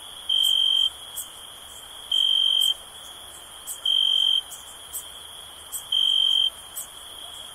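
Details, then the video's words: Four shrill, pure-toned cricket trills, each lasting about half a second and spaced roughly two seconds apart, against a quiet bed of faint high-pitched insect clicks. "Soothing Cricket Sound for Relaxation"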